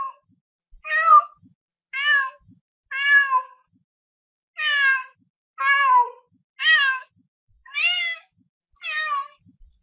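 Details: Domestic cat meowing, a series of about eight drawn-out, harmonic meows, each close to half a second long and spaced roughly one second apart, some rising then falling in pitch, in a quiet setting.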